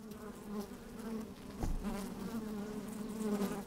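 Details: Honey bees working inside an open hive on a fine, sunny day, recorded with a microphone slid down into the hive: a steady humming drone with overlapping buzzy tones, swelling and fading, plus a brief thump near the middle.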